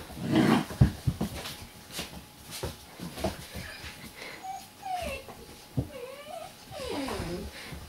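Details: Eight-week-old Borzoi puppies playing with a dog bed indoors. Soft, wavering whines and squeaky whimpers rise and fall in the second half, amid thuds, rustling and scuffling from the play.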